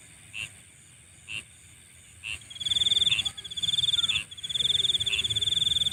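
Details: Nighttime insect chorus with short high chirps repeated roughly once a second, then overlapping rapid pulsed trills at high pitch, backed by a continuous thin whine.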